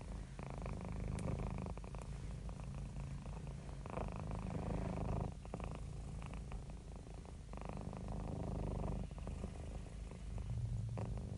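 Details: Relaxed, happy pet cat giving a long, unbroken low purr. The throaty rumble pulses gently in and out with inhaling and exhaling, with slight surges of strength every couple of seconds.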